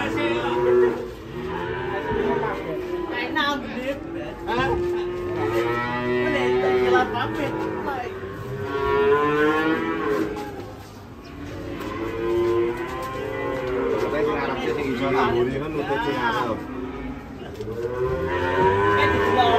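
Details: Cow on the rampage after getting down from a truck and falling into a ditch, giving repeated long moos that rise and fall, mixed with shouting people and some vehicle noise.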